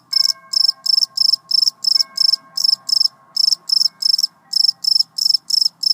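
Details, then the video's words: A cricket gives a continuous run of shrill pulsed chirps, close and loud, around three bursts a second with brief gaps. A faint steady tone lingers at the start. "How a cricket makes its sound!!!"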